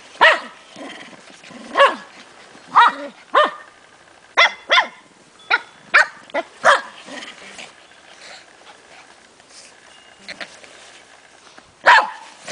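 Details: Ten-week-old Tibetan Spaniel puppies play with adult dogs, giving short, sharp, high yaps in bursts of two or three, about a dozen in all, with quiet gaps between.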